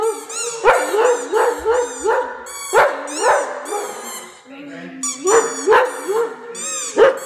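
A Great Dane howls in a run of wavering, yodelling notes, with a few sharp clicks.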